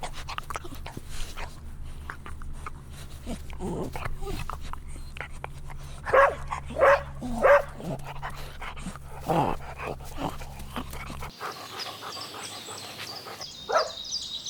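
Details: Dogs at play on green grass give three rapid barks in a row, then scattered softer yips, over a constant low droning hum, with a thin high whine closing the recording.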